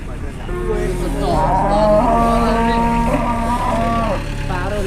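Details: Large cattle brought to a market in Indonesia, a morning of haggling: one long, loud, drawn-out moo lasting over three seconds, steady and rich in tone, with bustling market noise behind.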